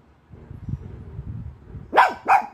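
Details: A white Pekingese gives two sharp, high barks in quick succession after a low indoor rumble, barking at what the owner calls a ghost.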